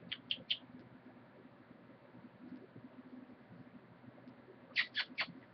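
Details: Pet guinea pig, a male, spinning in circles as a trick for guinea pig food treats. Three short, high, sharp squeaks come in quick succession at the start, then a quiet stretch, then another three bright squeaks close together near the end.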